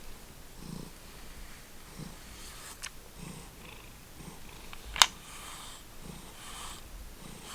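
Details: Indoor house cat from the Lucky Ferals feral-rescue family purring close up: soft low throbs repeating about every second, plus a sharp click near the middle and light rustling.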